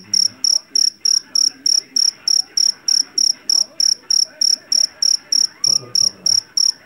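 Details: Field cricket known locally as jangkrik jeliteng or Javanese cricket, caught in a rice field and valued for its loud voice. Sharp, high chirps repeat about three times per second in a steady pulsing rhythm, with faint low background sounds.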